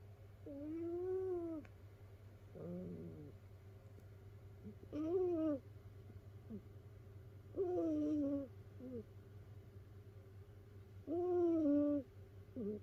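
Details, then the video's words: Sleeping rescued domestic cat snoring in a multi-cat household, cats piled together indoors; whistling nasal snores with rising-falling tones, each about a second long, repeating every two to three seconds over a steady low hum. "猫のいびき who?snoring cat."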